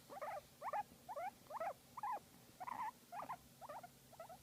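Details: Pet guinea pig enjoying a massage, giving a series of short squeaky chirps, each a quick wavering burst, about two per second with a brief pause midway, over a quiet background hum.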